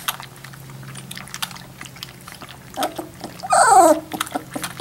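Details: Three-week-old Labrador Retriever puppies; after a quiet stretch with soft shuffling, a short, loud squealing whine bends up and down around the four-second mark.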